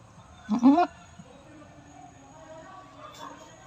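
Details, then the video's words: Goat during its fifth birth, giving one short harmonic bleat with a slight waver near the start, followed by quiet background hum and a faint later murmur. "PANGLIMANG PANGANGANAK NG KAMBING NAMING ITO"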